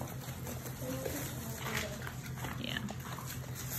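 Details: German Shepherd, Labrador and Rottweiler mix puppies, a litter about six weeks old, indoors: faint, thin whimpers and short squeaky whines scattered over a steady background hum, with soft rustling.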